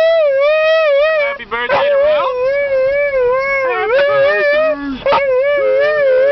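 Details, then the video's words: Husky singing along to happy birthday: long sustained tonal howls with wavering pitch, interrupted by brief yelps and bent notes, a human voice faintly mixed in. "husky sings happy birthday"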